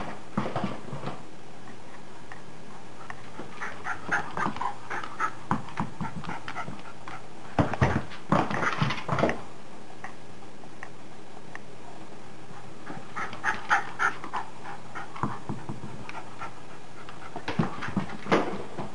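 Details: Pet dog indoors during a bad-weather play session: irregular noisy panting bursts and soft whimpers, with a louder flurry of rustling and thumps around the middle and more scattered bumps near the end.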